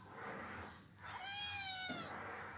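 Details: Domestic cats and kittens greet a person arriving home, a daily welcome; after a quiet start, one clear, drawn-out meow of nearly a second holds a steady pitch with rich harmonics, with faint human voices nearby.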